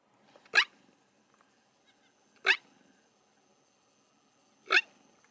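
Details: Black wildebeest on safari calling in alarm at approaching people while walking away: three sharp, harsh calls that sweep upward, spaced about two seconds apart, with quiet background between them.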